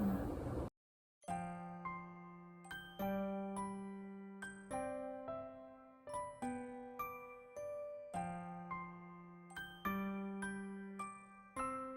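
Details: Gentle glockenspiel-like chimes play a light tinkling tune with ringing, decaying notes after a brief moment of noise at the start; no animal sound is heard.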